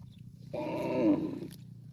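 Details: Cow calling its extended family: a single short, steady, harmonic moo of about a second, beginning sharply and fading out, set against a constant low-pitched hum.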